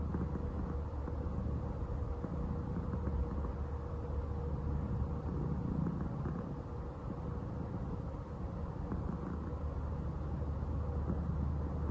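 A steady low engine rumble from a passing aircraft or vehicle fills the recording, with no animal calls.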